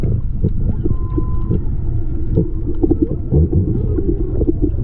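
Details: Whale song recorded underwater by a GoPro while snorkeling off Maui, Hawaii, in February 2020: a steady, flat whistled tone held for about half a second, a few fainter tonal traces, over a heavy low rumbling water and surf noise.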